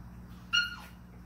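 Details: A 41-day-old Vizsla puppy from a litter gives one brief, high, tonal whine that holds steady and then drops away.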